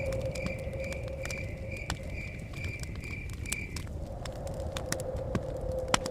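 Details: Crickets chirping near a forest cabin: rapid pulsed trills in a steady high band for about four seconds, then stopping, over constant crackling and popping of a fire, a low steady hum and a rumble of blowing wind.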